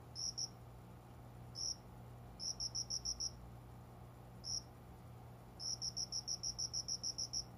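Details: Cricket calling just after five in the morning from small plants by a closed window, heard but unseen, in summer; high, clear pulsed chirps in short bursts, from single notes to runs of about ten rapid pulses, over a steady low hum.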